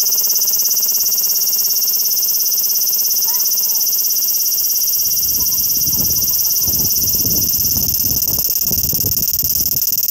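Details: Summer cicadas drone in a steady, high, shimmering buzz that never lets up.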